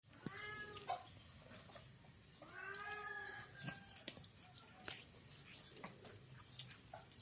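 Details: Village cat eating a fish head shared with another cat; two drawn-out, harmonically rich meows, the second longer and wavering, plus scattered clicks and rustles from feeding.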